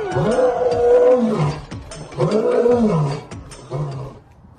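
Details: Lion roaring: three deep, drawn-out roars in about four and a half seconds. Each swells and then falls away, with the last one shorter and softer.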